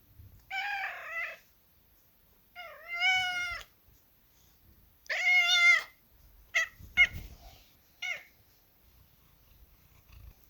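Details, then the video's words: Kitten meowing: three drawn-out, harmonic-rich meows rising then falling, each under a second, followed by several short clipped mews; quiet indoor background between calls. "Gatinho Miando"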